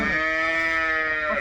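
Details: Jersey cow at a wholesale livestock market giving a sustained, flat, tonal low throughout, rich in harmonics, with no clear break or pitch change.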